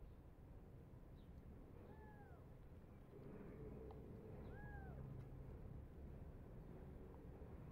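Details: Tiny foster kittens, hungry and eager for bottle milk, biting at their foster dad; two short arched meows rise and fall a few seconds apart over a steady low rumble.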